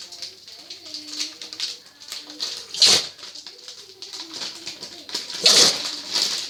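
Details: French Bulldog sneezing again and again: two sharp, hissing sneezes about three seconds apart, with soft snuffling and low nasal tones between them, indoors.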